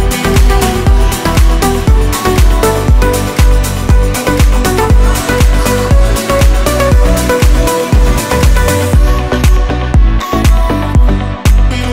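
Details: Loud electronic dance music with a steady thumping beat and bright synth layers; no animal sounds.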